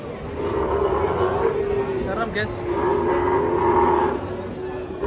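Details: Sacrificial cow rampaging as it comes down off a truck, giving a long, steady, droning low moo that carries through the whole stretch, with a brief higher cry near the middle and faint human voices and vehicle noise behind.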